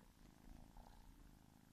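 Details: Pet house cat purring softly, a faint continuous low throb of closely spaced pulses under a hiss of background noise.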